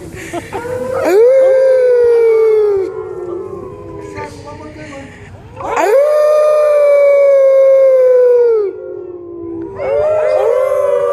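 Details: Wolf at the San Diego Zoo, 2014, giving loud drawn-out howls: each rises quickly, holds a steady tone for a couple of seconds, then sinks, three howls with overlapping harmonising voices.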